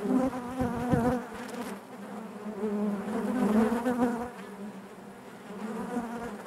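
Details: Honey bees humming inside their hive, a dense droning buzz with a steady low pitch and stacked overtones, swelling and fading in waves, with faint clicks and brief bumps against the comb.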